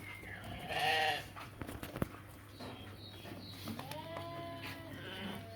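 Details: Sheep at a livestock market where ewes and rams are sold; one loud, wavering bleat rises about a second in, followed by a man's voice talking and general market murmur.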